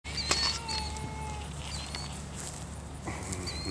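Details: Savannah cat outdoors, eager to get at a stork among birds and ducks. One long, steady, high harmonic meow runs for about a second, then a few short chirping calls follow. A low constant hum sits underneath.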